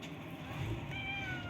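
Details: A cat with a cut-off tail, filmed while being fed and encouraged to eat, gives one short meow in the second half, a steady, slightly falling tone over a low background rumble.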